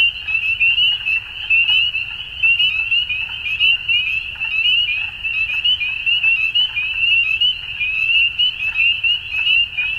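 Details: A dusk chorus of many frogs, their rapid high-pitched trills blending into one unbroken ringing wall of sound with gentle surges in volume throughout.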